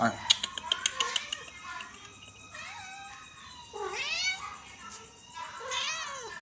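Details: Kittens, four of them, peeking out from inside a rack; after a run of soft clicks and taps, several thin rising-and-falling meows sound, two longer drawn-out cries standing out near the end.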